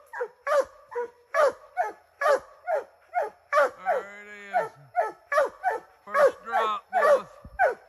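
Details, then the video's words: Treeing Walker Coonhound named Ranger on its first time in the woods, giving rapid, evenly spaced harmonic barks about twice a second, with a few longer drawn-out bawling notes in between. "Treeing walker style"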